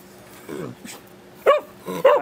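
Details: Beagle named Root, excited while being put through tricks indoors like sit, shake and other paw; a soft sound, then two sharp, bright barks close together near the end, with a person repeating commands in a small room.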